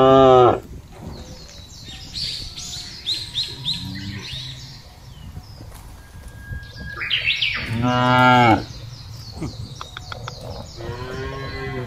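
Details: Cattle being fattened loose in wide village fields: a short moo at the start, a strong drawn-out low near eight seconds and another rising at the end, over busy chirping birdsong.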